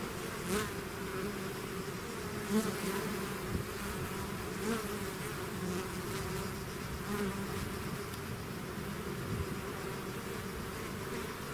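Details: Steady humming from a bee swarm that has left its hive, with many wings blending into one low drone. Brief louder buzzes of individual bees stand out near the start and around the third and fifth seconds.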